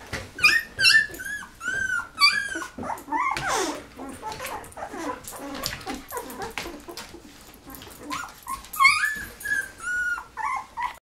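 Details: Eleven Golden Retriever puppies at 13 days, eyes just opening; loud high-pitched squeals and whines, rising and falling, many voices overlapping in bursts, with a brief rustling noise.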